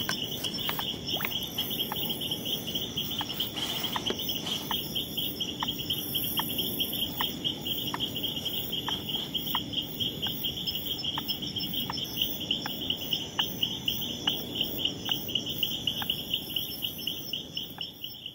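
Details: Leptodactylus troglodytes repelling an opponent in a territorial encounter: a steady run of short, sharp rising notes, spaced under a second apart and growing slightly louder toward the end, set against a continuous shrill insect chorus.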